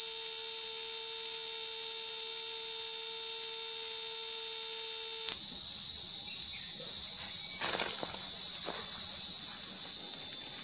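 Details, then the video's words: Cicadas in Kanha National Park during the summer months. A loud, continuous high buzz runs steadily, then shifts midway to a higher, hissier drone, with a few soft clicks and rustles below. "Cicada, Cicadas are true bug with very loud sounds"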